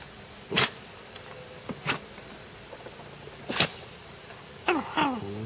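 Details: Cairn Terrier. A Cairn Terrier 'talks' with brief, tonal whines that rise and fall in quick succession near the end. Earlier, three sharp, noisy bursts like snorts or sneezes break the quiet.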